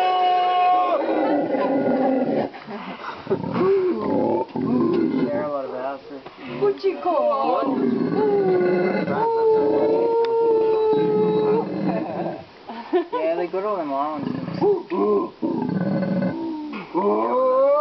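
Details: In February 2009 at Ambue Ari Park, Santa Cruz, Bolivia, a howler monkey gives rough, wavering, throaty howls that swell and fall in bursts, some stretched into long moans, with people talking alongside.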